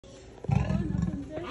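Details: An angry leopard at Hartbeespoort Animal Park, North West, South Africa, gives a short, deep, rasping growl that swells suddenly and then fades.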